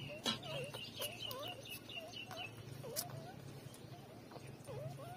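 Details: Three-day-old newborn puppies nursing from their mother: thin squeaky whimpers that bend up and down, overlapping rapidly several times a second, with faint clicks and a steady low hum beneath.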